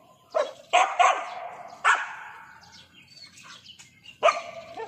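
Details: Dog barking over a lizard it cannot reach. A quick run of three loud, sharp barks, a pause with faint rustling, then one last bark.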